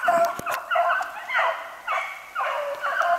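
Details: Beagles hunting snowshoe hare on 3/8/16: long, drawn-out bays, several dogs overlapping, each call a harmonic howl about half a second long, coming in a loose rhythm of nearly two a second.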